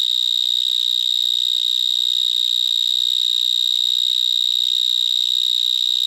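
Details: Gryllotalpa vineae, the vineyard mole cricket, singing after sunset among vines between Bordeaux and Libourne in March 2019; one shrill, constant electric-sounding trill at fixed pitch, very loud throughout.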